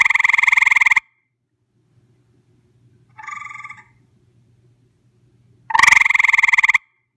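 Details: Close-up recording of a visiting gray treefrog: three rapid pulsed trills, each about a second long. The first and last are loud and rattling, the middle one quieter, with a faint steady low hum in the pauses.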